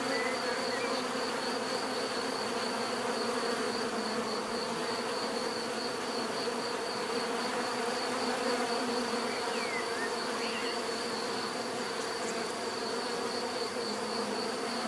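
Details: Continuous hum of a mass of bees, dense and even, with a faint pulsing texture; a brief thin upward chirp from another creature appears near the middle, over a steady high whine.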